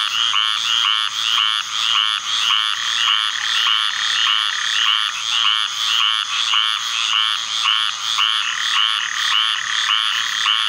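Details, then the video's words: A dense chorus of squirrel treefrogs, sparked into calling by summer thunderstorms, gives raspy, nasal calls that overlap continuously. "Squirrel Treefrog calling"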